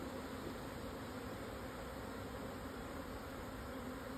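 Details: Swarming Japanese honey bees moving house at noon after strong wind eased, 17 June 2024, 12:50, southern Yatsugatake highlands, Hokuto, Yamanashi, Japan, 1054 m elevation; a steady, dense, low droning hum with broad hiss, unbroken throughout.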